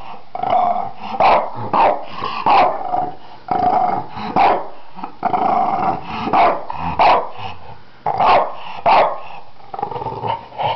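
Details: A Finnish French Bulldog gives gruff, throaty barks mixed with rumbling growls, with bursts coming about once a second and low grumbling filling the gaps between them.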